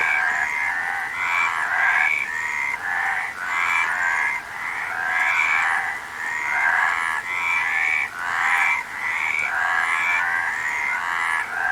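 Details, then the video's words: Frogs calling in a dense chorus of overlapping raspy croaks, pulsed and grating, rising and falling in bursts about every second with no pauses between callers. "Frog Sound"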